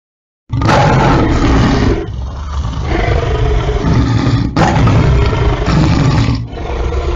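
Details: Harsh lion roars in loud bursts with sudden onsets. A rough growling roar of about one and a half seconds is followed by further rasping, rumbling roars.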